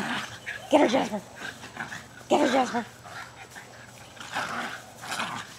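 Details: Two almost two-year-old Jack Russell Terriers play fighting and chasing each other in a freshly sodded backyard in Lenexa, Kansas, on 5 May 2009; two short, harsh barking bursts about a second and a half apart, with a man urging them on.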